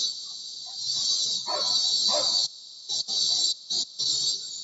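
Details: Cicadas (kuliglig in Tagalog), heard from a bedroom window while dogs bark, produce a loud, steady high-pitched buzzing drone that cuts out abruptly a few times.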